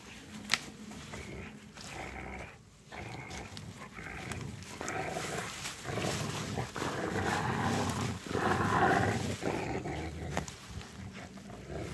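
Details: Three Rottweilers playing with a stick on a wintry walk in light snow; rough, rumbling growls come in uneven bursts, swelling to the loudest, densest stretch around eight to nine seconds before easing off.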